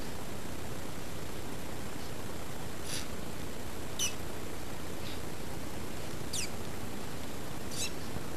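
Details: Two pet guinea pigs, Lizzy and Roosje, the latter an albino, give short high squeaks with a sharp upward sweep, one roughly every second or two, over a steady low hum.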